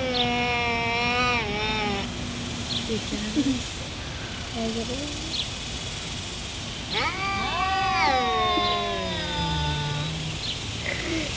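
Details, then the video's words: Two cats in a fight, one of them black, trading drawn-out yowls that bend down in pitch, a long pause with small squeaks, then a loud rising, wavering howl around the middle followed by quieter moans. "CAT FIGHT"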